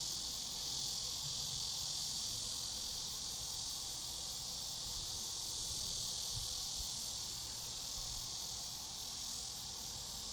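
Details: Grass insects calling in a calm, restful outdoor setting: a dense, steady, shrill high-pitched chorus with a fast pulsing shimmer throughout, unbroken and even in loudness, with no other clear sounds.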